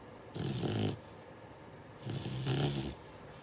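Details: Asleep, a Beagle puppy of six months gives two drawn-out, gravelly snores, the second longer and swelling in the middle, with a quiet pause between them.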